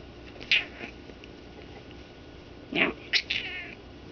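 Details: Pet cat indoors, caught in a sudden fit of attacking blankets, giving short, high, strained meows and yowls against a steady room hum.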